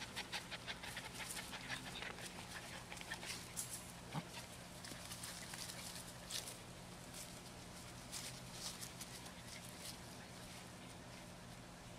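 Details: Young rescue puppies, twelve weeks of age and of Beagle, Terrier, Cattle dog and GSP mix, huffing and panting quickly and unevenly, with brief sniffs and a light knock, a steady low hum underneath.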